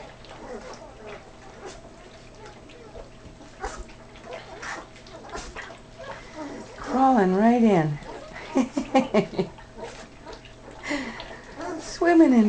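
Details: Ten Great Dane puppies being weaned, crawling into their food, give wavering, rising-and-falling whining squeals in two loud bursts midway and at the end, over soft whimpers, a woman's gentle talk and wet splashing sounds of feeding.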